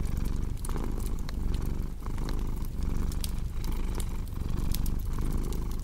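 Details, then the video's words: Low vibrating cat purr with regular breathing swells, mixed with crisp crackling fireplace sounds in a cozy ASMR recording meant for deep sleep and relaxing. "Purring Cat with Cozy Crackling Fireplace Sound"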